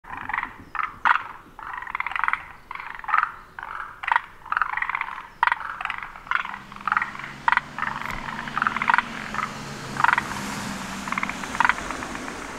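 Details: Forest green tree frog calling, its throat sac swelling in three pulses per call; rapid throaty croaks in bursts around the mid range, several overlapping callers, faint low hum beneath.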